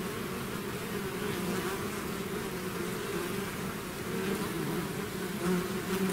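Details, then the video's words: Many bees swarming out of a hive make a constant rich drone, overlapping wingbeat hums rising and dipping slightly, a close flyby swelling near the end. "bees therapy swarm natural buzzing sound"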